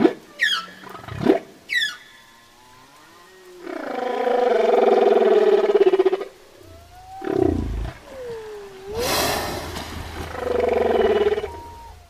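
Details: Whale song opening with fast rising chirps, then long rough harmonic roars lasting several seconds, broken by a short swooping moan and a low rumbling pulse.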